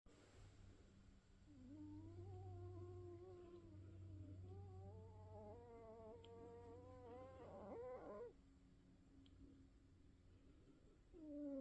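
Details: An old Norwegian Forest Cat, whose snoring grows louder with age, snores while asleep: a low rumble carrying a long, wavering nasal whistle.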